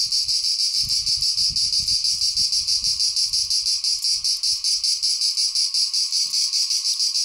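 A cicada sings a loud, continuous, high-pitched buzz with a fast pulsing throb.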